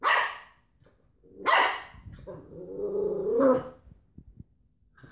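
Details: A Cocker Spaniel wrestling with a washing-tablet carton gives two sharp barks, then a drawn-out, rumbling growl that rises and wavers.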